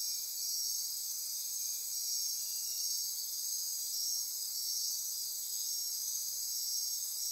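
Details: Night insect chorus in Costa Rica rainforest near Corcovado National Park, Osa Peninsula: a dense, steady wall of high shrill trilling and buzzing bands, pulsing gently, with nothing else prominent.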